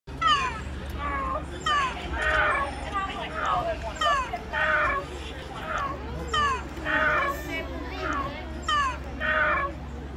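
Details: Lemurs calling: a series of short, downward-sliding, meow-like cries, many overlapping, arriving roughly every half second to one second, over a steady low hum.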